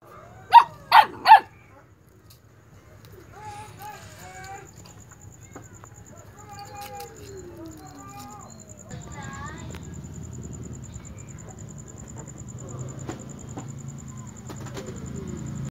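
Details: A puppy barks at a bullfrog, giving three sharp barks and then a run of high, wavering whines and yelps.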